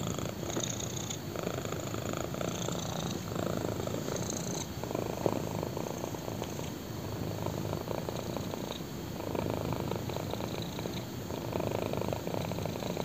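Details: Black kitten purring while lying on a person's thigh indoors; a steady low rumbling purr with soft pulsing texture, louder breathing-like phases roughly every few seconds, close and continuous throughout.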